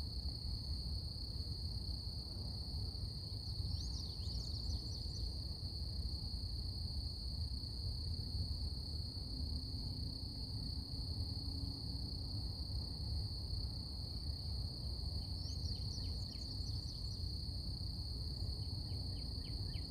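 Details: Cicadas in a quiet morning setting hold a continuous, unbroken high-pitched drone with a fainter, higher shimmering layer above it. Brief chirps of a bird come through twice over a low, steady background rumble.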